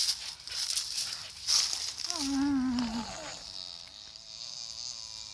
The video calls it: Staffordshire Bull terrier making funny sound